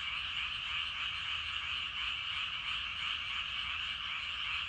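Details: Many frogs calling in rice paddies in the evening, a dense continuous chorus of overlapping rasping croaks forming a steady wall of sound.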